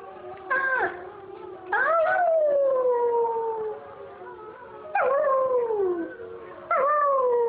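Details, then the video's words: A young German Shepherd, still perfecting his howl, gives long, mournful howls that start high and slide slowly downward, howling along with wolves at night. "German Shepherd Howling!"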